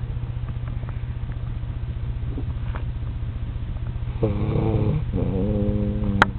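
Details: A sleeping Alaskan Malamute puppy, worn out, snores with a low, rumbling drone, then gives a brief droning moan.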